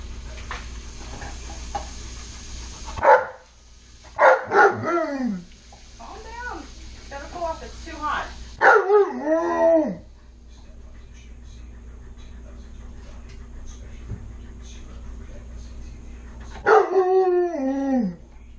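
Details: Alaskan Malamute Tonka begs for french toast at home, unprompted. He gives five bursts of loud, harmonic, swooping woo-woo talking, each wavering up and down for about a second, with quiet gaps between them.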